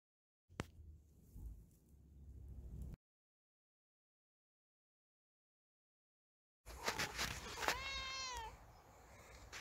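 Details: Kittens: after a quiet stretch of faint rustling and a silent gap, a few short meows ring out near the end, the clearest one bending down in pitch, over light background noise.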